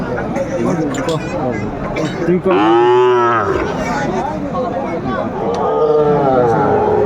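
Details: Sahiwal breed bull at Aftabganj livestock market, Brahmanbaria, Bangladesh, on 7 May 2024; one loud arching bellow swells and fades over about a second, with a softer lowing later, over busy market chatter and voices.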